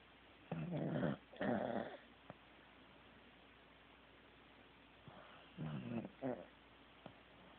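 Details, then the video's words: Teddy, a sleeping Corgi, gives paired snores: two raspy, growl-like snorts close together, a pause of several seconds, then another softer pair of stuttering snores, in a quiet indoor space. "Teddy SNORING"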